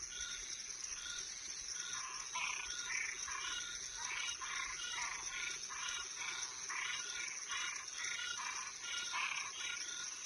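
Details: Toads and treefrogs calling at night: a dense chorus of short, harsh, pulsed croaks overlapping from many callers, with a steady high insect hum running underneath throughout.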